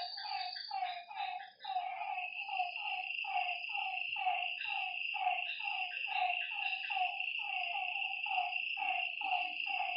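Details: Lakeside frog chorus after dark: dense, rapid series of short croaks, two or three each second, from overlapping callers, beneath a continuous high insect whine.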